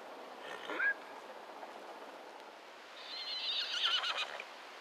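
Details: Semi-wild Konik horses in the Blauwe Kamer reserve along the Rhine, Netherlands, fighting over a mare, squeal: a short, sharp cry early on, then a longer shrill, wavering squeal near the end, over quiet open-air background.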